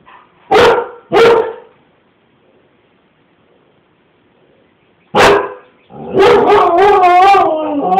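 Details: Pet Siberian Husky reacting to a man running after his child in the street, giving two sharp barks, a long pause, then another bark flowing into a wavering, rising and falling howl-bark; calm silence between bursts.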